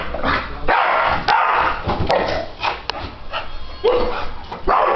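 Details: Four-year-old male English Bulldog reacting to a ceiling fan being turned on: loud, rough barks mixed with whining, yowling, rising-and-falling grumbles, delivered in bursts with short pauses, indoors.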